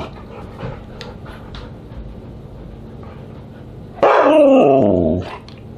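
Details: Siberian Husky at dinner on July 24, 2022, giving a single loud, drawn-out vocal call that slides downward in pitch for just over a second, following a stretch of quiet background clatter and low hum.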